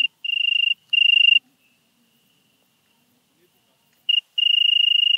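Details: European tree cricket from Venezia, Italy, 2 September 2021: short trilled bursts of about half a second, then a nearly silent stretch of almost three seconds before the even, pure trill resumes.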